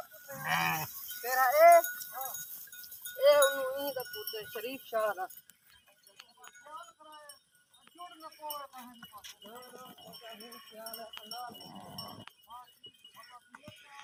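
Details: Herd of sheep in the UK bleating: several wavering, quavering bleats from different animals overlap, louder early then quieter and more distant, with scattered clinks like bells.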